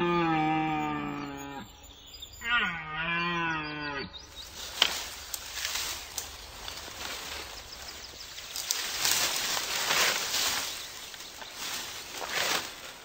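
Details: Male red deer in the broadleaf forests of eastern Europe at the onset of autumn give deep, drawn-out harmonic roars during the rut. The roars give way to rough clattering and crashing noise that continues to the end.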